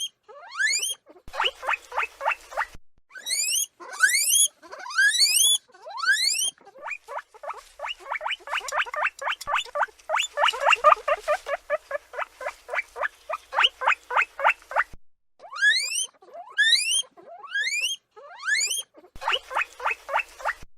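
A guinea pig gives loud, high, rising squeals, repeated in rapid runs.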